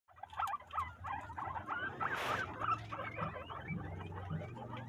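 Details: Guinea pigs of the Peru breed eating corn husks, giving a busy run of short squeaky chirps and whistles, overlapping and repeated rapidly, with rustling and chewing of husks throughout and a brief loud crunch midway.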